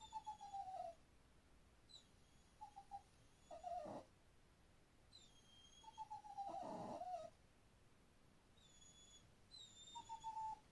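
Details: A pet dog making odd, funny noises: thin, high, slightly falling whimpers come in short bursts every few seconds, with faint high whistling tones and two brief rustling thumps in the background.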